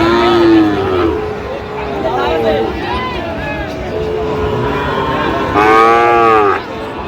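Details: At a Natore cattle market on 31 December 2025, with a Sahiwal bull up for sale, a loud, level, harmonic low opens the recording. Fainter lows follow, then another strong, slightly falling moo near the end, all over constant crowd murmur.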